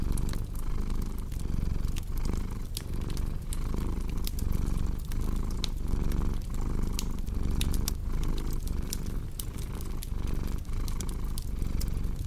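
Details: Rumbling cat purr, regular breath-by-breath surges, mixed with dense popping and crackling from a fireplace, intended as a calming ASMR sleep sound.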